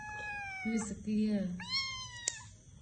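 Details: Cat in a room giving a long, slightly falling meow, then a brief human voice, then a rising, arched meow ending with a sharp click.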